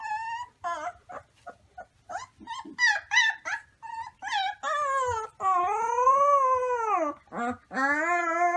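Wolf pups give high, wavering howls broken by short squeaky yips and whimpers.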